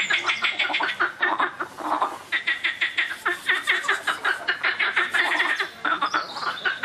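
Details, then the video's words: Noisy frogs give dense, rapid rattling croaks, each burst a fast train of clicky pulses, repeated almost without pause by several overlapping callers, with one brief lull about two seconds in. "Laute Frösche - noisy frogs"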